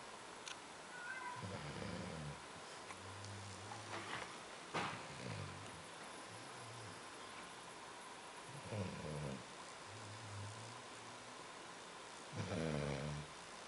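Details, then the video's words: Ziggy Marley, a Labrador Retriever in Rio Paranaíba, Minas Gerais, snoring: low, rough, throaty bursts every few seconds, each followed by softer, steady humming breaths in between. "Labrador Ziggy Marley Roncando"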